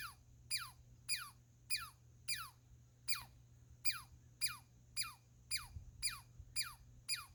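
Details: Steady series of about thirteen falling, zapping whistles from a squirrel in just over seven seconds, each a brief high sweep dropping sharply in pitch, slightly uneven spacing, over a low constant hum.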